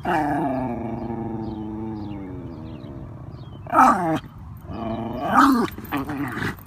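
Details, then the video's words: Wire Fox Terrier named Felix, out on a stroller ride and eager to get at nearby geese, gives a long, slowly falling howling whine, then two sharp, harsh barks a second or so apart. "FELIX the Wire Fox Terrier & THE GEESE"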